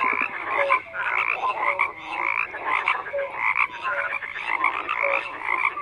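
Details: Frogs croak in a busy overlapping chorus, with roughly two calls a second. Raspy pulsed croaks mix with short piping notes, loud and continuous throughout.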